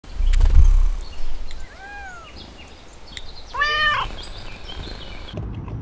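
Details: At night in Texas, a raccoon gives brief, rising-and-falling tonal calls, then a longer wavering, quavering call.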